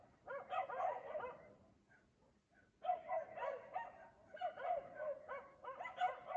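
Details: Dog in Aliseda (Los Galaperos) barking at 3 AM while its owners sleep, every night; a dense cluster of yapping barks, about a second and a half of near silence, then sustained rapid barking.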